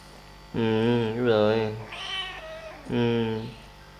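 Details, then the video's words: Drawn-out, rich meows while kittens play and feed: a long wavering cry of over a second, a fainter short call, then another full meow, loud and close in a quiet indoor space. "Relaxing 1 Hour With Cute Kittens - Playing And Feeding"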